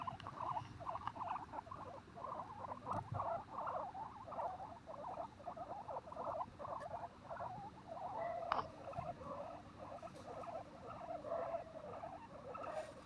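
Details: Guinea pigs at Okinawa Zoo & Museum in Okinawa City, Japan, on 30 April 2021, keep up a steady stream of short, mid-pitched chirping and chuttering calls.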